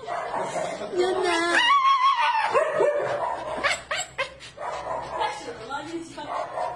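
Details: Shiba Inu. A Shiba Inu gives the breed's well-known scream: shrill, wavering wails that slide up and down, broken by short yelps. Voices seem to talk alongside it.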